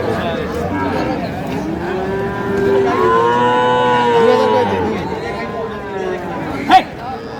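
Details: At a Pabna livestock market selling small Sahiwal bull and heifer calves, 12/5/25: a long, rising then level bellow lasting around two seconds, followed by a shorter fading moo, with market chatter behind and a sharp knock near the end.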